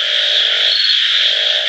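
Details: Frogs in full chorus: a steady high-pitched trilling drone, joined by a lower humming call in the first half that fades briefly and returns near the end.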